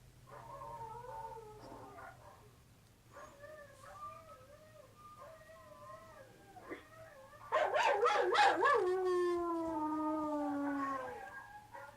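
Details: Siberian Husky puppy howling, a wavering, tonal, wailing howl in short phrases, growing much louder near the end into a long, sliding, falling howl.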